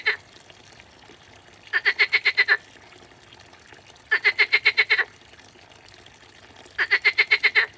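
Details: Water frog calling in a pond: bursts of about eight rapid, evenly spaced pulses lasting under a second, repeated roughly every two to three seconds, bright and rattling, over a faint background of pond water.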